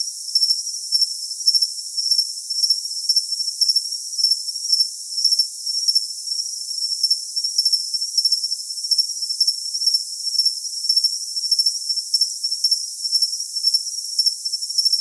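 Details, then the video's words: A cricket trills continuously at a high pitch, its rapid pulses gathered into regular chirps close to two per second across the whole stretch, clean and free of other noise. "Cricket Sound"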